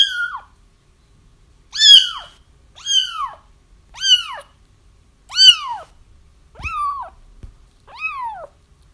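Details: Kittens cry repeatedly, sound meant to lure their feral mother into a trap; clear arched mews roughly once a second, growing softer toward the end, with a couple of light knocks in the background.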